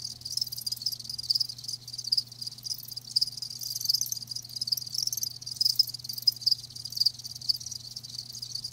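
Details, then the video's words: Live crickets chirping in a dense, high-pitched shimmering chorus, with brighter individual chirps scattered through it and a steady low electrical hum underneath. "Live Crickets 60min "Natural Sound" ASMR"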